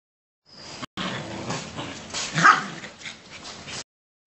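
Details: Alaskan Malamute puppy giving a single short, high yelp about halfway through, set against steady rustling and handling noise, with a few softer muffled sounds after it.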